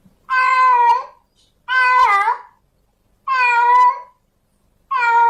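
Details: In heat, a female domestic cat calls for a male with four long, loud, wavering meows, each near a second long, spaced about every one and a half seconds in a quiet room.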